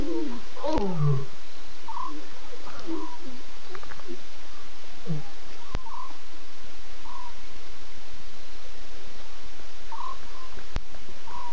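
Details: Night lion pride at 02:50 a.m. on 8 September, six cubs with three Nkuhuma adult females looking around and contact calling. A short, strong call sweeps from low to mid pitch at the start, then soft scattered sounds over constant hiss.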